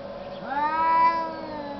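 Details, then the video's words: Cat arguing in the snow gives a single sharp rising yowl that swells and holds as a long, even, harmonic-rich wail, with a constant low background hum. "Arguing cats in the snow"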